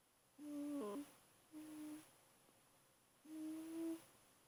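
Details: An 8-week-old German Shepherd puppy, asleep, gives three soft, steady, hummed whimpers, each under a second long; recorded 18 February 2012.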